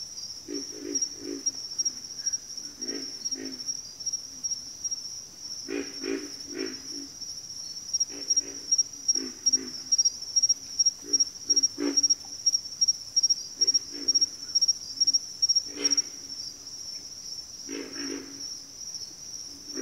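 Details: Several frogs calling in a backwater chorus, short low grunts in clustered bursts every second or two, beneath a constant shrill insect buzz with a fast pulsing insect trill in the middle.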